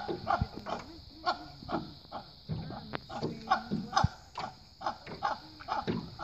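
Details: Rescued chimpanzees in the Congo giving loud, rhythmic panting calls, voiced hoots alternating with breathy intakes about twice a second, with a steady high-pitched hiss in the background.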